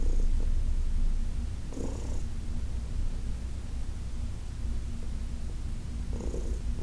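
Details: Deep rhythmic purring from senior cat Heidi, adopted from the Humane Society of New York City, during a massage on August 4, 2021; the rumble runs the whole time, with short rubbing noises from the massage near two and six seconds.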